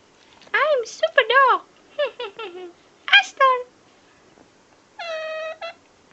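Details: Pekingese puppy "talking", trying to say "hello"; a series of short yowling, wavering whines and squeaky bends, then a longer flat, nasal held note near the end, indoors in a small room.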